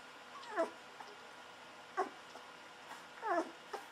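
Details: Newborn Golden Retriever puppies, 11 to 13 days old, make three brief falling squeals, each a quick high-to-low whine, spaced about a second apart in a quiet indoor room.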